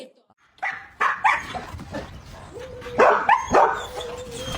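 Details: Pet dog barking in short, sharp bursts, two near the start and a louder pair around the middle, with a thin steady whine-like tone between barks and a faint background murmur.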